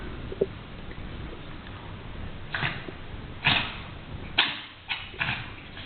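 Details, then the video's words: A male pet cat in the middle of a sneeze attack, described as fine and having fun, lets out a run of sharp, breathy sneezes, about four quick bursts close together over steady indoor background hiss. "Amazing sneezing cat!"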